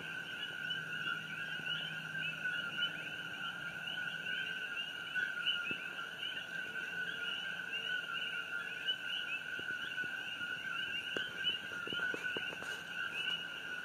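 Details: Coqui frogs calling at night on Hawaii Island on June 27, 2018, beside the glowing Fissure 8 eruption: a dense chorus of two-note co-qui calls, a lower note then a higher rising chirp, overlapping continuously, with a few faint clicks near the end.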